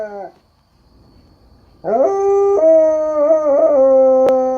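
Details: Dog howling at coyotes: a sustained, harmonic-rich howl that starts with a rising slide, holds a steady tone with slight wavers, and trails off gently, after a short clipped opening note and a pause.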